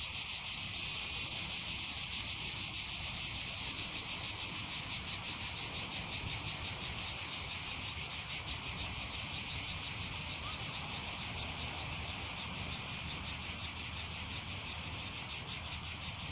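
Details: A chorus of cicadas in summer at Aghios Kosmas, Helliniko, Athens, fills the air with a steady, high, pulsing buzz that never lets up.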